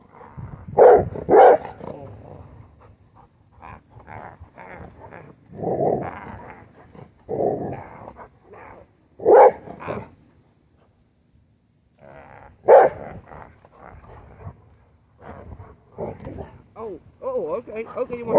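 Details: A female Rottweiler, worried by a dirty Gatorade bottle, gives loud, deep barks in short bursts with low growls between them, as she used to do at the vacuum.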